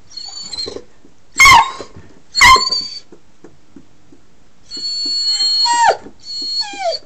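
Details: Whining dog wanting a car ride: two sharp yipping whines, then longer high, drawn-out whines that slide downward near the end, heard in a quiet room.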